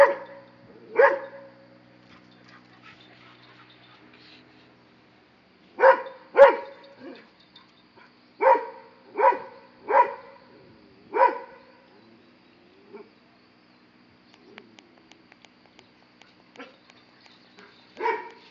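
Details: A Dobermann barks at a monkey: sharp, single, resonant barks come in uneven bursts, some in quick pairs, with long quiet gaps between them.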